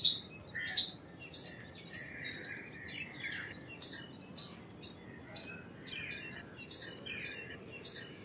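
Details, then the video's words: Indian palm squirrel calling with sharp, high, dry chirps repeated about twice a second, roughly sixteen notes in a steady chipping series, with faint softer chatter underneath. "Squirrel Sounds Effects - Squirrel Calls - Squirrel Sound - Indian Squirrel - Squirrel Voice-Vocals"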